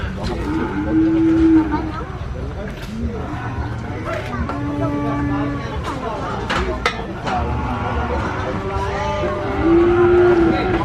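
Cattle lowing with several drawn-out, deep moos, each holding a steady pitch before trailing off.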